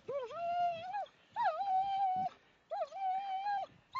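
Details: Snowy Millhouses Park in Sheffield, 2 December 2010, where German Shepherds Ria and Meg play; three drawn-out, moaning whines, each opening with a quick upward swoop, then holding a level, slightly wavering tone for about a second.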